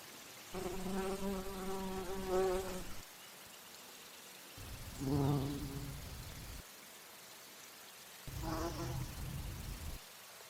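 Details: Bumblebee flying between flowers to drink nectar; three separate bursts of deep, humming buzz, the first about two seconds long and slightly wavering, the later two shorter, with quiet pauses between.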